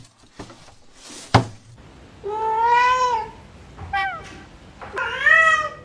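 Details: Pet cat meowing early in the morning indoors, demanding more food right after eating and talking back when scolded: two drawn-out harmonic meows, the second rising then falling, plus a shorter chirped meow, with a knock and a quiet room.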